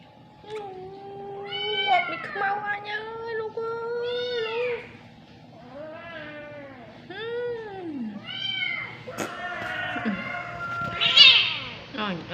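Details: Cat that is always hungry, giving a run of drawn-out, wavering meows, some rising then falling, several in a row, with brief knocks and a faint voice near the end.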